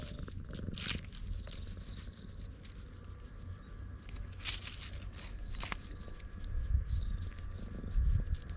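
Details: A black stray cat on Tashirojima, lying in the middle of a road, purrs loudly while being stroked; a steady low rumbling continues throughout, with brief rustling and handling noises on top. Recorded with a GoPro.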